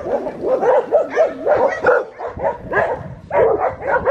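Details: Bianca, a black tri female Australian Shepherd puppy aged six and a half weeks, at Fifteen Acre Farms in Tahlequah, Oklahoma, on Sunday, April 17, 2022: a steady run of wavering, rising and falling whines and yips, one after another.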